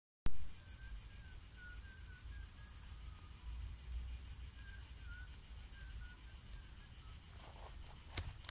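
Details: Cicadas singing outdoors while a black cat listens: a steady, shimmering high buzz holds unbroken throughout, with a few soft whistled notes drifting in the background and a brief click near the end.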